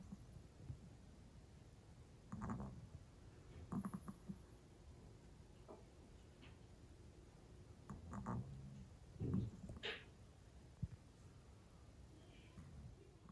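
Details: A Pomeranian that seldom snores, asleep early after a tiring day, volume boosted: soft low rumbling snores come in short bursts every one to two seconds, broken by quiet gaps, over a faint steady hiss.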